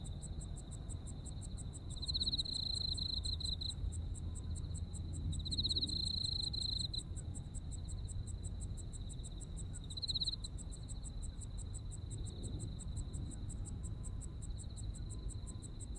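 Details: Insects calling in autumn in Japan: a steady high trill runs throughout, with a rapid pulsed chirping repeated about four times a second above it, and louder bursts swelling at intervals over low background rumble.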